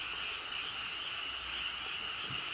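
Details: Frog chorus in the Cheonjinam valley at Toechon: a dense, unbroken, trilling wall of calls holding a steady high pitch, with no pauses or single callers standing out, and no other clear sounds.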